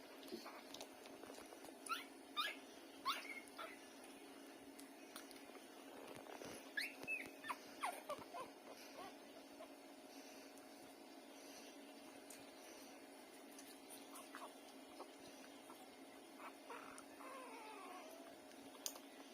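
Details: Hungry street puppies suckling from their lying mother after an hour without feeding, giving high, thin whimpers and squeaks in irregular bursts, several overlapping, with sucking and rustling noises.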